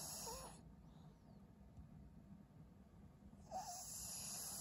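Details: Fawn senior Pug Maria, aged 12, in Japan in February 2023: a short hissing breath with a curling whistled wheeze, a quiet pause of about three seconds, then another wheezy breath.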